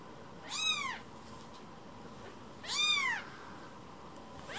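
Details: Spoiled rescued baby kitten returning to its carer, calling with two loud drawn-out meows about two seconds apart, each rising then sliding down, a third just starting at the end.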